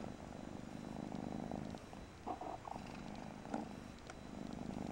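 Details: Brief stretch of deep, rhythmic purring from a Persian kitten called Mariah, with a couple of soft squeaks partway through.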